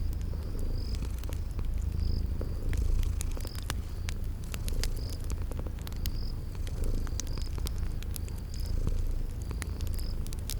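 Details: Sleeping cats purr near a crackling fire amid spring garden sounds. A dense, low vibrating hum pulses slightly with breathing, crossed by frequent fire pops and a short high chirp recurring every second or so.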